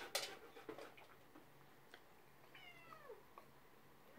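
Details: A male domestic cat, uneasy around a visiting husky indoors, gives one soft drawn-out meow that slides downward in pitch. Scattered clicks and handling noises come before it, and a sharp sound cuts in at the end.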